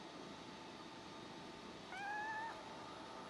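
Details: A male Scottish Straight cat gives one short meow, a clear tone held for about half a second and bending slightly upward at the end, over a steady background hum.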